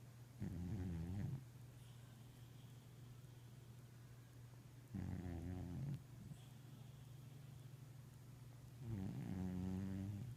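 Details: Overweight eight-year-old male cat snoring while asleep, three rough rasping breaths roughly every four to five seconds, each about a second long, over a steady low indoor hum.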